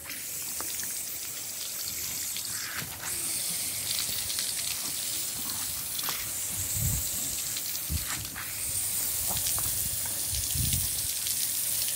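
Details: Steady hiss and splash of a garden sprinkler spraying water outdoors, with no animal voice heard.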